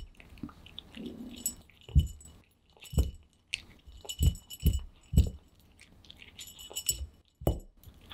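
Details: Close-up of pet cat Aman at mealtime, eating vigorously indoors for ASMR: a short soft hum, then sharp crunching bites roughly once a second, each a quick dull thud with a crisp click.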